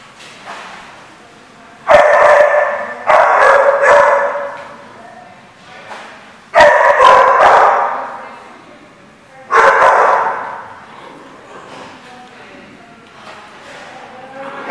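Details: Dogs at The Barking Lot bark in loud, mid-pitched bursts, some single, some in quick pairs, separated by quieter gaps with faint background voices.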